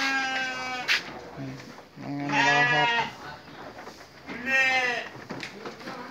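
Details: Sheep during evening feeding, two loud quavering bleats about two seconds apart, each rich and nasal with a tremulous wobble, between quieter rustling, short clicks and faint voices.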